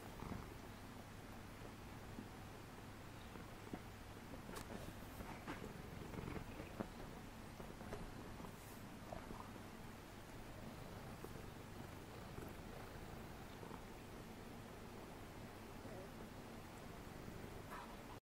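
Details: Munchkin cat purring softly indoors: a faint, steady, low hum that runs unbroken throughout, under a hiss of background noise and occasional light rustles and clicks.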